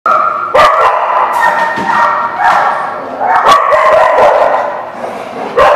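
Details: Dogs recorded on December 30, 2016, several barking and yipping at once in a dense, overlapping chorus of harmonic, whining barks, with sharp louder barks punching through near the start, middle and end.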